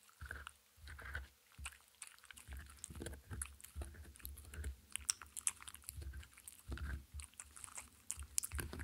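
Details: A dog eats a handmade cupcake treat, a dog-safe mini muffin, close to the microphone indoors. Wet, irregular chewing and lip-smacking come in bursts about once a second, with a short quiet gap early on and no talking.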